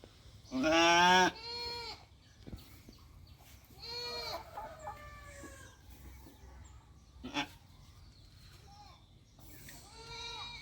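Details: Sheep on a farm at lambing time: one loud, wavering bleat near the start, followed by several softer, shorter bleats scattered through the rest, with a brief knock and low background hum.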